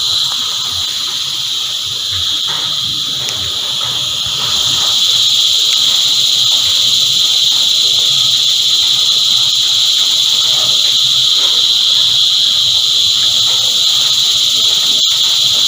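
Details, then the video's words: Massed cicadas sing a sustained high-pitched hiss that swells noticeably louder after the first few seconds and then stays steady. "Energizing Cicada Choir"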